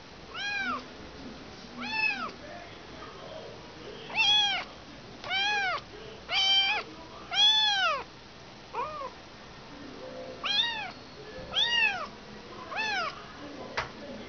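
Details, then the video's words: Motherless kitten crying repeatedly: a run of about a dozen short, high, arching meows, some clipped and some drawn out, coming roughly every second with brief pauses between bursts. "Anak kucing kehilangan ibu."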